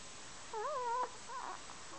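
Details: Snoring Chihuahua named Kenny gives one wavering, whistle-like whine lasting about half a second, followed by a softer, shorter squeak, over quiet indoor background.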